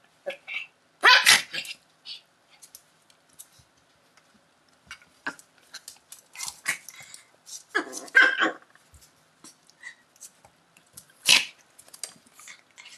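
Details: Two Schipperke dogs in a scrap, trading abrupt harsh barks and snarly yaps that come in uneven clusters separated by brief lulls, with faint rustling and scuffling between outbursts.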